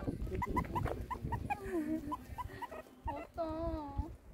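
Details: A meerkat on its first outdoor walk, encountering an alpaca, gives rapid, repeated high chirps followed by longer, wavering whining calls.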